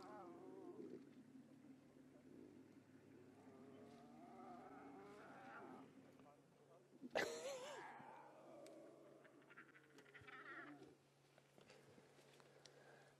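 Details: At sunrise on August 23, Nkhuma cubs vocalize to their returning mother after her drink at the pan, one cranky at missing a suckling spot; overlapping whiny growls swell, with a sharp loud cry near the middle, over a low vehicle drone.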